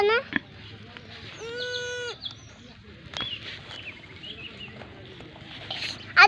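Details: A lamb gives one steady, drawn-out nasal bleat lasting under a second, followed by people chatting nearby in a rural outdoor setting.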